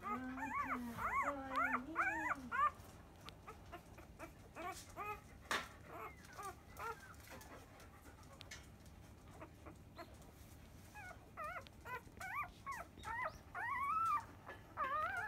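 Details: Five-day-old field-line Labrador Retriever pups feeding at their mother biscuit at ten in the morning; a run of shrill wavering squeals opens, sparse faint whines follow, and rapid chirping cries return near the close.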